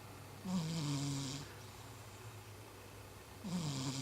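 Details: Low rasping snores from Chibi, a pet cat dozing like a person: each breath a drawn-out droning rattle with breathy hiss, repeated about every three seconds, steady hum beneath.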